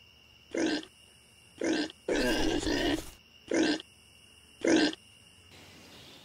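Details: Common warthog family in the African plains, foraging, resting and sleeping in abandoned burrows while often moving to avoid predators: five short, rough grunts about a second apart, with a longer harsh burst in the middle, over a steady tonal background hum.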